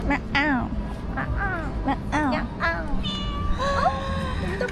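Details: Stray cat found near a spa during a trip to Almaty, Kazakhstan, answering a person who meows at it; several short arched meows in quick succession, with talking and background music.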